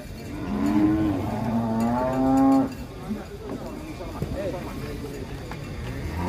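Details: During unloading from a truck at a cattle contest in Indonesia, a bovine gives a long, rising-then-steady moo lasting over two seconds, followed by people talking, clatter and engine noise.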